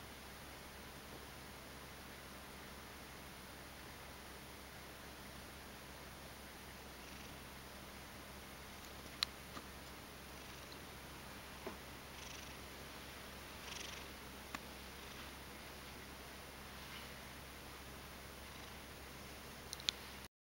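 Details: Mojio, a male Ragdoll cat, half asleep lying on his back indoors, giving a quiet, steady low rumble that may be purring or snoring, with soft breathy pulses in the middle and faint clicks.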